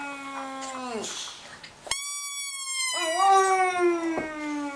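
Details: Dog howling indoors: a drawn-out harmonic wail that slides down at its end, then a steady high pure tone sounds, followed by another long, slightly wavering howl.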